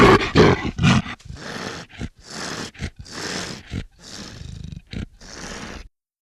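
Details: A black leopard lets out strong rasping snarls at the start, followed by a run of breathy, hissing growls and short harsh coughs spaced irregularly before the sound stops.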